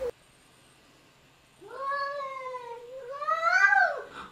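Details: Domestic cat arguing: after a second and a half of silence, a long drawn wavering yowl with rich harmonics, dipping then rising into a louder strained wail near the end.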